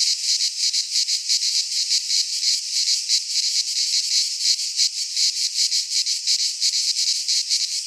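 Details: Midsummer cicada chorus in a pine forest in Greece, a harsh high-pitched buzz that throbs quickly and unevenly, steady in loudness throughout, nothing else audible.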